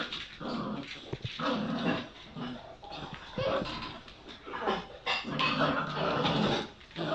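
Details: Two 7-week-old Bull Terrier puppies, one black and one white, growl, grunt and yip in rough, broken bursts as they play and play-fight.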